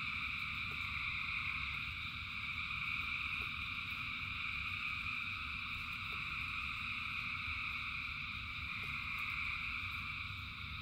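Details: Frogs by the thousand singing through rainfall: an even, ceaseless high trill in three pitch layers, steady low rain noise, and a few isolated ticks.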